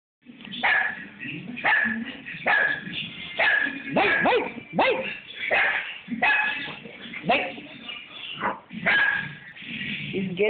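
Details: Rex, a dog, barking at a roller paint brush: a rapid run of sharp, repeated barks roughly every second, with a voice briefly heard.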